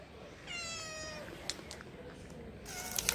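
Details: A hungry stray kitten on the street wanting food gives one clear drawn-out meow, then a second shorter cry at the end, with light tapping and street background between.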